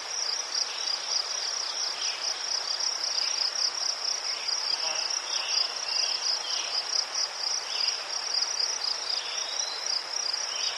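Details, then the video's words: Unbroken high cricket trill recorded in Ukraine among chrysanthemums, shimmering and finely pulsed, overlaid by scattered softer, lower chirps from several other insects. "Заспокійливий звук цвіркунів//The soothing sound of crickets"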